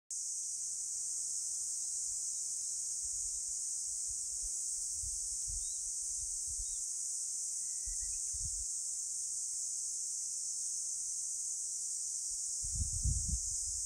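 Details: Cicadas singing on a summer afternoon, 11 July 2022 at 14:13, on Songido island: a continuous, high-pitched buzzing hiss with no pauses, with soft low thumps and rumbles of wind or handling underneath.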